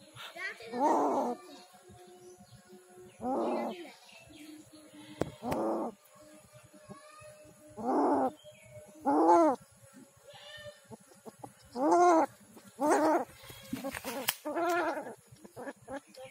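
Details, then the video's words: Injured street cat, savaged by dogs in Kishoreganj, Bangladesh, still crying in pain: about nine shorter, fainter mewling wails spaced one to two seconds apart, with scattered clicks and handling noise between. "Street cat crying to survive but no one come to rescue"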